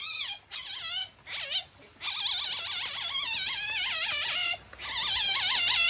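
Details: A captive masked palm civet at Kusatsu Tropical Zoo in Japan, usually gentle, gives shrill, wavering high-pitched squeals while irritated, seemingly furious.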